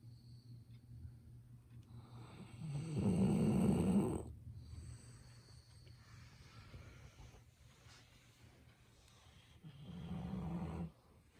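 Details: Golden Retriever Ibuki sleeping at home, snoring noisily. A long, gravelly snore is followed by quiet breathing, then a second, softer snore near the end, recorded up close with a phone.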